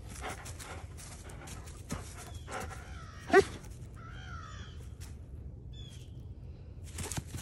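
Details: Female Doberman Pinscher getting mad after being tricked during a ball-throwing game; one loud, sharp bark near mid-clip, followed by chirping bird calls and scattered clattering noises in an outdoor setting.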